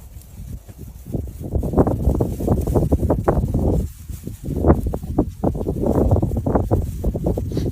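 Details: Fighting lionesses in South Africa's Kruger National Park, 2024, one killing the other over food: a rough, rolling stream of low growls and snarls, briefly dropping near four seconds before surging again.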